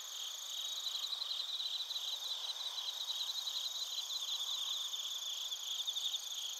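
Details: Crickets, including bell crickets, in Narita, Chiba, Japan, captured with a TASCAM Portacapture X8. Several insects overlap in a soft, steady, high-pitched trill made of fast rhythmic pulses, with faint continuous higher tones above, and no other sounds.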